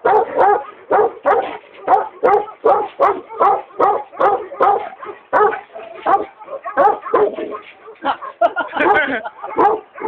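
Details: A native Tibetan Mastiff from Maqu in Gansu gives rough, throaty barks at an uneven pace. Some come in quick pairs and some are spaced out, and the last few seconds are a denser burst.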